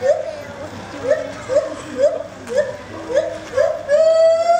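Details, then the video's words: Gibbon calling at Copenhagen Zoo: a run of short, evenly spaced hooting notes, about two per second, ending in a long rising, sustained whoop; faint visitor voices underneath. "Noisy gibbon at Copenhagen Zoo"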